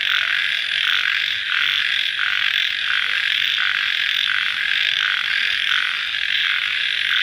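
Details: Crickets at night just after rain: a dense, high-pitched chorus buzzing without a break, with a louder pulse swelling in about every two-thirds of a second.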